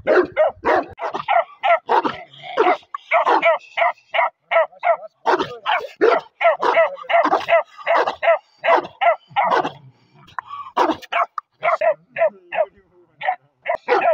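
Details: Bakarwal (Bakharwal, Gaddi) dog puppy barking continuously, a long run of short, high, yipping barks at roughly three per second, uneven in spacing, with a brief pause midway before the yapping resumes.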